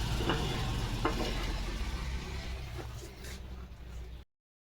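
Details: Steady low rumble and hiss with a few faint knocks and clattering taps. No animal sound is heard.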